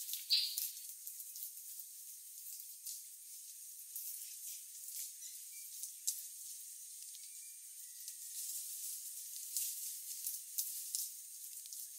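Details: A steady high hiss fills the recording, broken by faint crackles and clicks, and no clear animal voice stands out.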